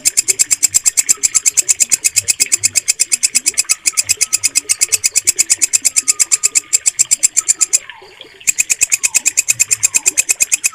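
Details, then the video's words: A steady stream of bright, rasping pulses from a walang kecek bush cricket, recorded for mastering the songs of pet birds. The pulses come about three per second, with one short silence late on. "MASTERAN WALANG KECEK SUARA JERNIH"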